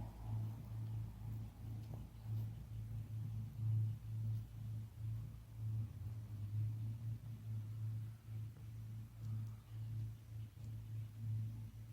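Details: A steady low electrical hum with faint rustling and background noise, and no animal calls heard.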